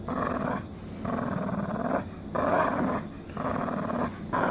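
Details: Miniature poodle growling in a rhythmic series of low, rough rumbles, each lasting about a second with short breathing gaps between them.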